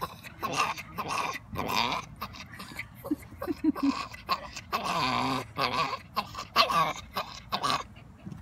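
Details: Pet dog 'talking' with a run of varied whines, groans and yowling, moaning sounds that rise and fall in pitch in short bursts, with a drawn-out harmonic moan around the middle and short breaks of near silence between utterances.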